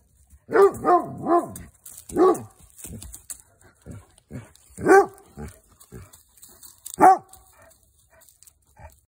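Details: German Shepherd named Jackson barking at something unseen in the woods while helping search for another dog, Copper; a few deep, harmonic barks in quick clusters, then spaced single barks near five and seven seconds, with quiet rustling between.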